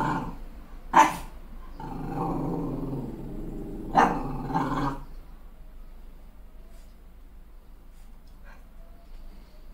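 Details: Female Malshi puppy furious at herself in the mirror after a new haircut: two sharp barks framing a sustained rough growl, then quiet with faint room noise.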